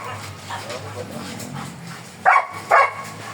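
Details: Black German Shepherd Dog at a stud service in Manaoag, Pangasinan: after quiet background murmur and voices, two loud, sharp barks burst out about half a second apart near the end.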